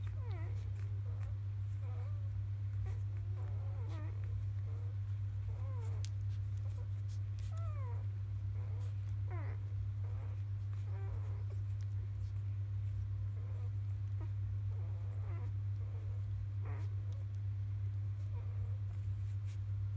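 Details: Newborn field-line Labrador Retriever puppies, three days old, at evening nursing time; many short rising and falling squeaks and whines overlap, with a loud steady low hum underneath throughout.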